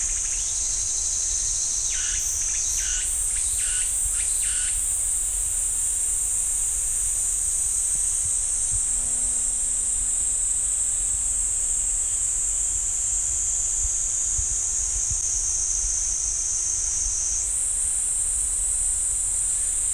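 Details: Cicada chorus in the pine woods of Ssanggyesa temple, Jirisan National Park, a continuous piercing high drone that shifts slightly in pitch near the start and again toward the end, with a brief run of pulsed notes early on.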